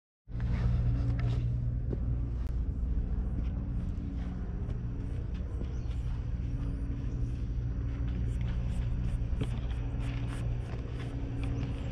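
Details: Steady low engine-like rumble with a constant hum and scattered sharp ticks and clicks, no animal voice heard.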